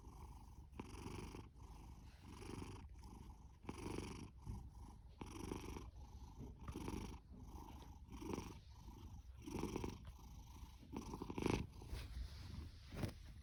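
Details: Fasu, an orange tabby male cat born October 2019 and adopted from a rescue shelter in July 2020, purrs and snores loudly: a low rumbling drone rising and falling with each breath about every second, with a few sharper snorts near the end.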